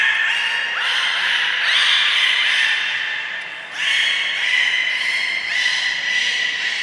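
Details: Beluga in captivity at Port of Nagoya Public Aquarium on 3 November 2023, feeding then playtime: near-continuous bright harmonic squeals with wavering pitch, briefly dipping at mid-clip before resuming strongly.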